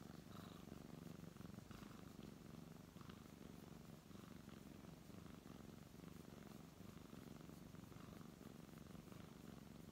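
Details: Indoor brown tabby cat being petted, producing a steady low rumbling purr that pulses rhythmically without pause, with light rubbing and rustling sounds from the stroking hand.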